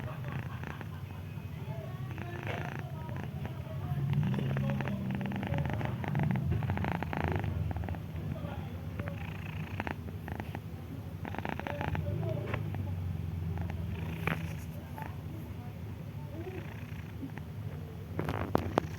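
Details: Ginger cat, female, sleeping peacefully with a little cold, producing a low, pulsing purr-like snore that rises and falls in loudness over the whole stretch. Quiet higher-pitched sounds drift in the background.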